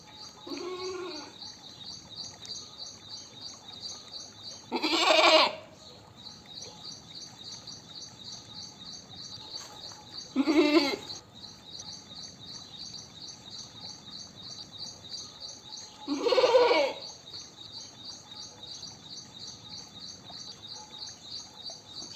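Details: Goat bleating: a faint early cry, then three strong shaky bleats roughly every five to six seconds, set against continuous pulsing high-pitched chirring.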